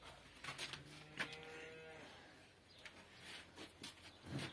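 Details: Cow calling for her calf in a village setting: one low, steady moo lasting about a second, with soft rustling and faint background noise around it.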